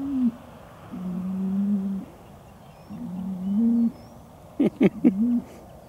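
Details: Hereford cattle at Chandler Herefords in 2017, bulls turned out with their breeding groups at the start of breeding season: three low, steady, humming moos about a second each, then a few sharp clicking knocks.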